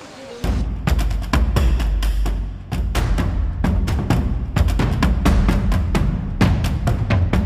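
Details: Pounding drum-heavy music with timpani-like hits and a little speech underneath; no animal sound stands out.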